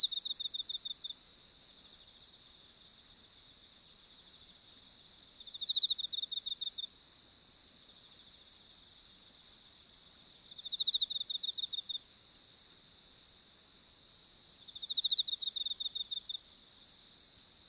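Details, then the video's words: Night chorus of crickets while fireflies drift about, a bright high pulsing trill beating roughly two to three times a second, joined every few seconds by a lower rattling cricket burst. "ホタルとコオロギの鳴き声/Fireflies and crickets sound"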